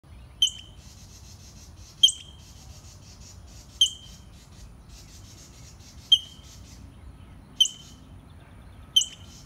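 Sharp, high-pitched barks from a black squirrel come at a steady pace, one every one and a half to two seconds. Each starts with a clipped note and fades into a short, raspy buzz over a quiet background.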